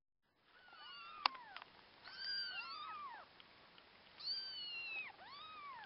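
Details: Orphaned kittens, cared for alongside a husky puppy, giving repeated high thin meows: harmonic arched cries rising then falling, several overlapping, in bursts around two and four seconds with quieter calls between.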